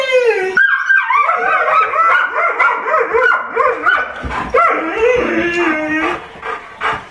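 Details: Pet dogs, including Trigger the Golden Retriever and Spencer the Irish Setter, raise a noisy coyote-like chorus while Simba barks. Tangled howls mix with rapid, bouncing yips and barks, then one steady howl trails off.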